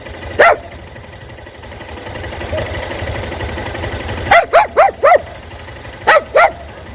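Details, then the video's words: Dog barking at motorcycles: a single sharp bark, a stretch of low rumbling background, then a rapid burst of four barks and a final pair of barks, each bark short and bright. "Cachorro Latindo para motos"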